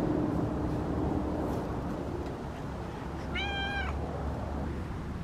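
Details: Domestic cat in a yard where Christmas lights were being hung, coming over to be petted; after a few quiet seconds it gives a single clear, tonal meow of about half a second, over a constant low hum.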